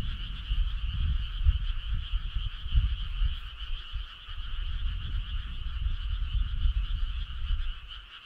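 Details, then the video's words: Dense chorus of frogs calling on a summer night, an unbroken buzzing trill from many animals over a constant bed of low rumbling background noise. "Cool frog sound"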